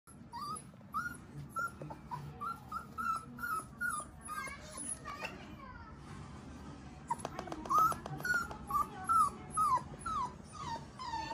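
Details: Golden Retriever puppy taking its first steps, whimpering in thin, high, tonal cries repeated roughly twice a second. A brief pause is followed by a louder burst of rising and falling whines mixed with small clicks indoors.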